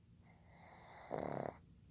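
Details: Fukuzo, a male pug born 15 July 2020, snores while asleep indoors: one short, harsh, rattling snore swells up near the end of a quiet breath, then fades.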